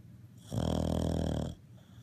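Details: Single drawn-out snore from Toby, a Cavalier King Charles Spaniel napping mid-morning on Super Bowl Sunday, a deep rattling rasp about one second long rising out of near silence and fading quickly.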